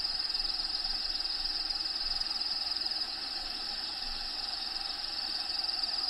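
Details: Cricket calls from within the vivarium of Diego, a bearded dragon: rapid, high, regular chirp pulses that briefly fade near the middle and return, set against background natural habitat sounds and a continuous hiss.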